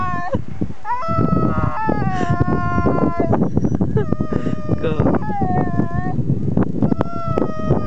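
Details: A Siberian husky, filmed while skiing, howls in long, wavering, drawn-out notes, pining as its owners are about to leave.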